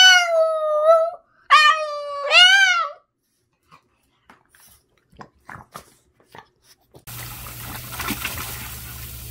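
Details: Boston, a very vocal Boston terrier, gives three wavering howls in quick succession, then faint scattered clicks and a stretch of running water noise.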